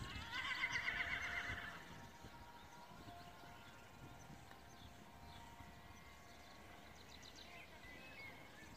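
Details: Horse at a cross-country and dressage riding event: a brief wavering, vibrato whinny in the first two seconds, then quieter outdoor background with faint rustling and distant sounds.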